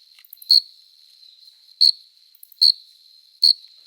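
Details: Male cricket singing at night in summer, a courtship song made by rubbing the forewings: four sharp shrill chirps about a second apart over a continuous thin high trill.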